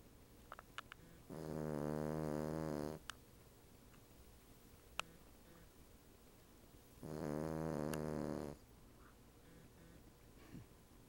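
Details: Female Cavalier King Charles Spaniel dozing on the back of a sofa beside a sleeping Siamese cat: two drawn-out, raspy snores roughly five seconds apart, each about one and a half seconds, with a few small clicks and taps in the quiet room.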